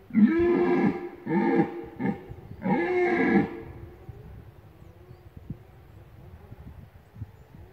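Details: Rutting red deer roaring in the Lądek Zdrój forest district, Poland: three or four loud, rough, bellowing roars packed into the first three and a half seconds, then quiet with low rustling.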